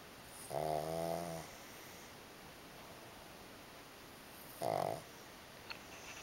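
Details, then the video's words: Snoring from one of two pugs sleeping against each other: a longer grating snore, then a long pause and a second, shorter snore, in a calm indoor setting. "Möpse schlafen aneinander - einer schnarcht"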